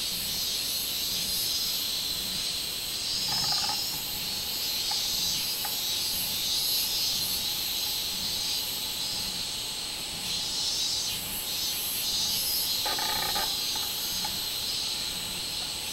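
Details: Robust cicada (minminzemi) recorded on 24 July 2016: a dense, steady, shrill high-pitched buzzing that holds without a break for the whole stretch. Brief faint lower-pitched tones surface around the third and thirteenth seconds.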